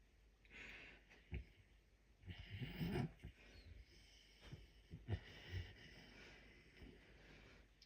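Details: Messi, a puma, asleep and snoring loudly: irregular wheezy breaths and short snorts at uneven gaps, with a longer rasping burst early on.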